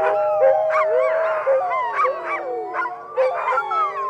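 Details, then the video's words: Several dogs howling together, overlapping long drawn-out tones mixed with short rising yips and wavering notes, a dense continuous chorus. "Кучешки вой / Sounds. Dog. Dog howl"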